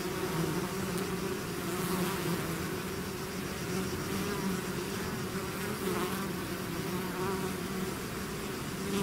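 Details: A swarm of bees outside its hive fills the air with an unbroken, even low buzz, many wingbeats merging into one rich droning hum without pauses.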